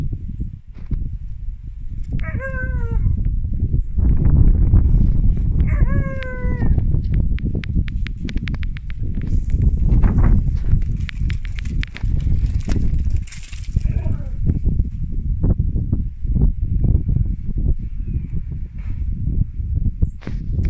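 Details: Siberian Husky puppy Drwg, a sled dog in Wales, woo-wooing to invite his big sister to play zoomies: two short, descending, howl-like woos with rich overtones near the start, then heavy rumbling, thumping movement and scuffling noise throughout.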